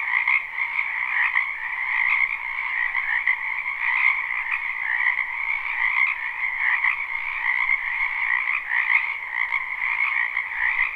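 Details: Many frogs croaking in a spring wetland, recorded live at night without looping; a dense continuous chorus of overlapping trilled croaks in two bright bands, steady throughout with slight swells.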